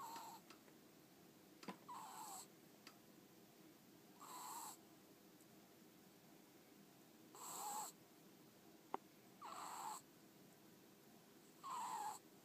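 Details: Snoring from a pet ferret called Ten-chan, fast asleep with half-closed eyes and flickering tongue: six breathy, slightly whistling snorts spaced about two to three seconds apart, plus a couple of sharp clicks, against low steady hiss.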